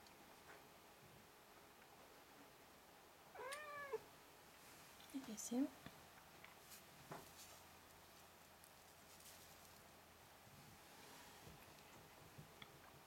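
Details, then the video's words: Five-week-old Ragdoll kittens playing indoors with their mother; two short, rising meows near the middle, the rest quiet apart from faint rustling and soft background noise. "Ragdollbabies 5 Wochen alt beim Spielen"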